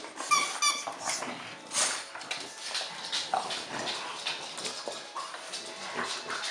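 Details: French Bulldog at Christmas indoors, giving short high whimpering squeals early on, then softer broken whines over a steady background hum and rustling.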